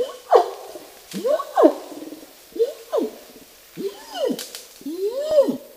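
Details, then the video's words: Orangutan long call: six loud, arching moans about a second apart, each swelling up in pitch and sliding back down, rough and hoarse in tone, with quiet pauses between and nothing else clearly heard. "Orangutan Longcall"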